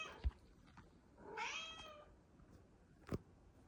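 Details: A Bengal cat, the lighter-coated one of the household, meows by the fridge, giving a single clear meow that rises, then falls away; she meows only when she doesn't see the camera and may be shy.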